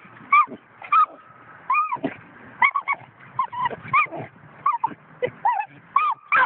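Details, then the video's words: Five-month-old coonhound pup whining steadily: a rapid string of high, squeaky yelps and whimpers, many bending up then down in pitch, coming roughly every half second with little pause between them. "5 month old coon hound"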